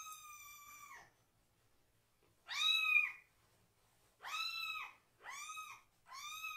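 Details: Rescued baby kitten, still needing toilet help, meowing loudly and angrily while its bottom is washed from the waist down: a drawn-out meow, then three bright, arched, strongly harmonic cries, each under a second, in a quiet indoor room.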